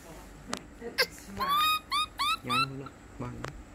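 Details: Lori, a baby monkey, cries during a bath: several short rising-and-falling whimpering cries in quick succession, with low hums and clicks around them.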